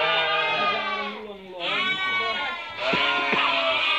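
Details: Merino sheep, part of a flock sold from Hungary to a customer from Türkiye: long shaky bleats from several animals, one falling in pitch, then a loud overlapping cluster of calls near the end.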